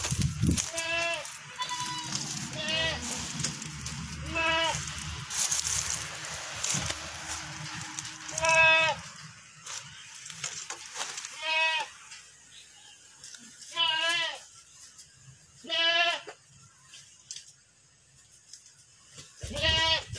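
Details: Fattened goats on a farm in Vietnam, bleating repeatedly in loud wavering cries spaced a few seconds apart, with crackling and noisy handling sounds in the first half.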